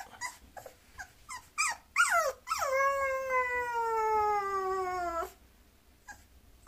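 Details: A Bulloxer mixed-breed dog begins with several quick, sharp yips. These build into a long, drawn-out whine that slides slowly downward in pitch for over two seconds, then stops abruptly before a few faint whimpers.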